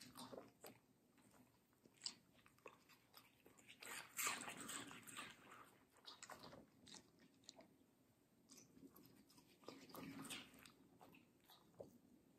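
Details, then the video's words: Middle the Samoyed, a fluffy medium-size girl, munches juicy watermelon: steady wet crunching and smacking, roughly three chews a second, with a louder cluster of bites near the middle and softer squishy chewing afterward. "ASMR Dog Watermelon Review - Middle the Samoyed"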